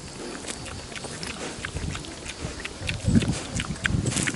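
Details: A wild boar feeding on grass very close to a camera at ground level gives low, rough snuffling grunts amid steady crunching and tearing.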